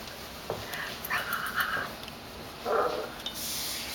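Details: Female puppy with hiccups sounding like a swallowed squeaky toy: short squeaky, whistle-like hiccup sounds, one brief, a longer one mid-clip and another near the end, in a quiet room.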